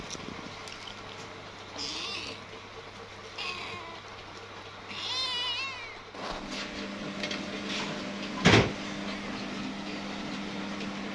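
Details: A kitten playing with its companion gives a few thin, high mews, one wavering up and down, over a steady background hum.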